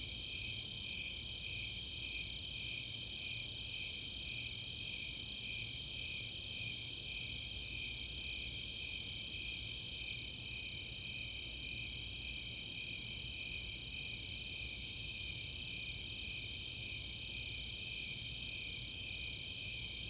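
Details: Summer night chorus of Snowy Tree Crickets and Four-spotted Tree Crickets in the open space of Chautauqua, Boulder, Colorado: steady, high pulsing chirps layered in continuous bands, with a low rumble beneath.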